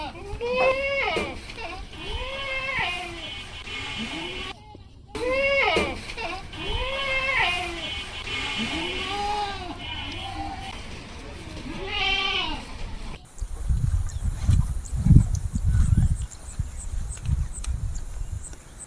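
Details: Repeated nasal, arching bleats from goats on a Bangladeshi farm on the Padma River char, including the doe Queen and her two kids, fill the first thirteen seconds before only wind buffeting remains.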